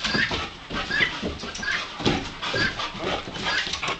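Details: Dark yellow male Labrador Retriever puppy retrieving a wing, giving short, high squeaky whimpers about once a second among scuffling and rustling noises.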